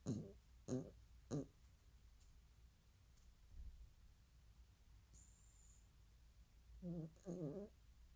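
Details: Pet dog snoring while asleep indoors: short, low, rough snorts, three in quick succession about two-thirds of a second apart, a long quiet pause, then two more; a brief faint high squeak midway in a quiet room.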